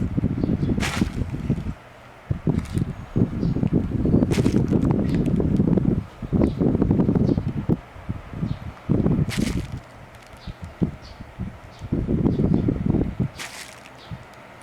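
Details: Eri, a Shiba Inu with a habit of snoring while sleeping with open eyes, in hot summer: repeated coarse low snores in second-long bursts separated by brief gaps, with several sharp tapping knocks in between.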